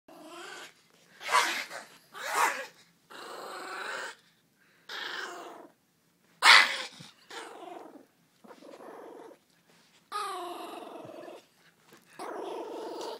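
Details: Pet dog playing with its owners indoors, tail wagging, recorded on an iPhone; rough growls and snarling grunts in bursts separated by short pauses, some louder and harsher.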